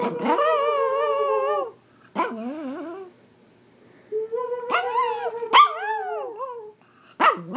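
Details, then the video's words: Singing Pomeranian in India giving wavering, harmonic howls, a long level note then shorter bending cries and yelps, with brief pauses between phrases. "Singing Pomeranian"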